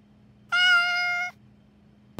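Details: Domestic cat staring with frightening eyes at something indoors, apparently an insect; one steady, bright, tonal meow lasting under a second, richly harmonic and level in pitch, followed by a short sharp click.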